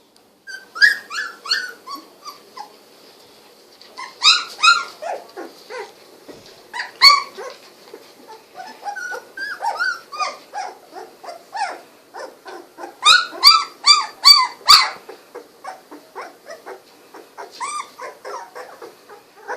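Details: Litter of 16-day-old Golden Retriever puppies with newly opened eyes gives a near-continuous stream of high, piping whimpers and squeaky yelps in irregular clusters, rising and falling, with a few louder yelping runs.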